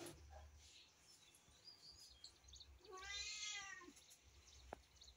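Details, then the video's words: Domestic cat playing with its favourite toy car gives one drawn-out, wavering meow midway, over a steady low rumble with a sharp click near the end. "cat and the car / cat's favorite toy"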